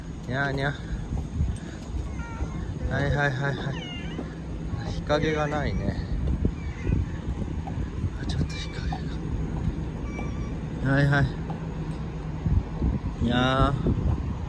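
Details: Stray cat family at lunch outdoors with a grandmother, several drawn-out meows rising and falling every two to three seconds over steady low rumbling background noise and human speech.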